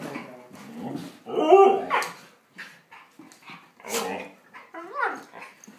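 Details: Fighting dogs trade rough snarls, sharp barks and a short yelp in rapid, uneven bursts, loud and close indoors.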